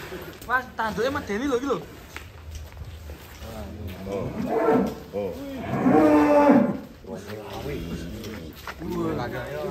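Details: Large sacrificial cattle for Qurban lowing repeatedly: several wavering moos, the strongest and longest near the middle lasting about two seconds, amid background music and people talking.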